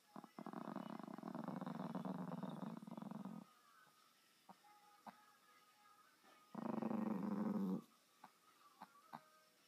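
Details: Two separate low, throaty growls from a dog, the first about three seconds long and the second shorter, separated by a quiet gap with scattered light clicks and taps.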